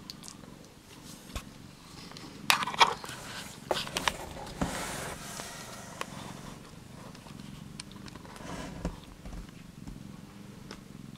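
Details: Australian Mist mother cat Dawn purring beside her first-born kitten Ali indoors, a continuous low rhythmic rumble with faint rustling clicks and brief handling noises over it.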